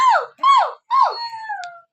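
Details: Husky vocalising at home: three short, bent yelping howls in quick succession, the last trailing off into a thin, fading tone.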